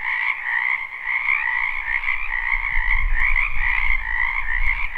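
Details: A spring wetland full of frogs, recorded live without looping. The steady, buzzing chorus runs throughout in two stacked pitch bands. A low rumble builds beneath it in the second half.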